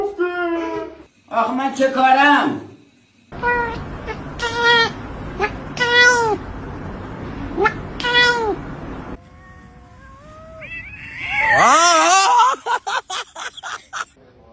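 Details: Domestic cat from a humorous cat compilation meowing repeatedly in short rising-falling calls, with human voices between them and a louder, strained wail near the end.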